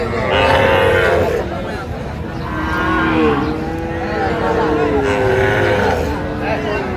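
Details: Sahiwal bull calves at a cattle market in Gazipur, Bangladesh: long, wavering moos with a rising-then-falling pitch over several seconds, amid crowd noise and bargaining voices.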